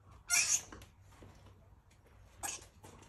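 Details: Rescued female squirrel in heat, calling while also barking and eating: two harsh, hissing broadband bursts, a long one near the start and a shorter one about two seconds later, with faint rustling between.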